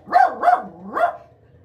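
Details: Young female dog in attack training barks three times, two quick rising-falling barks then a third after a brief pause, each with a wavering tonal quality.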